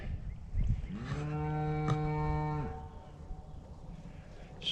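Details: A cow gives a long, low, steady bellow near a wooded area, a mother calling for her missing newborn calf, which the farmer fears coyotes or bobcats may have reached.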